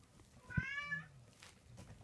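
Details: Munchkin kitten at 37 days old letting out one clear, high meow that rises then falls away, indoors with soft rustling and low background hum.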